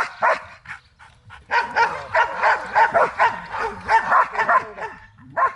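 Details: In guard-and-protection training in Zumpango, Mexico, a Belgian Malinois lets out a single bark, falls quiet briefly, then erupts into a fast, continuous volley of harsh, agitated barks before one last bark.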